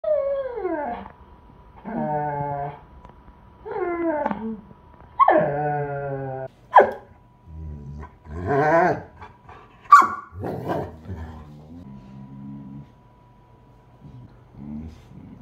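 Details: Bernese Mountain Dog showing love for an Australian Shepherd, voicing long falling howl-like whines in drawn-out phrases every couple of seconds, then shorter yips, grumbles and softer moans toward the end.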